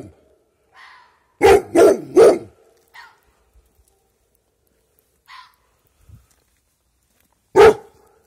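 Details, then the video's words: Dog barking in the dark at an unknown creature that seemed to answer: three quick barks in a row, soft scattered sounds, then a single sharp bark after a long pause. "Dog Barking at mysterious creature in the dark who replies to him"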